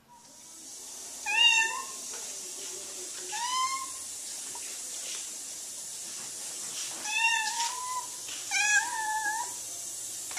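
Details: A blue point Siamese cat gives four loud, drawn-out meows, each rising slightly then falling away.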